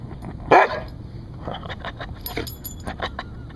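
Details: A rescue Siberian Husky showing off its guard-dog barking lets out a single loud, abrupt bark near the start, followed by fainter short bursts and rustling, possibly quieter vocal noises or movement nearby.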